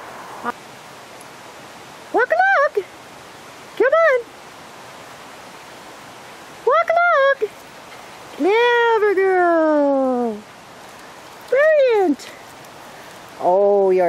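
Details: Keeshond named Delphi, a female in a British Columbia forest agility session, lets out spaced, short arched yelps and one longer falling whine, about seven bursts across fourteen seconds over a steady outdoor hiss like running water.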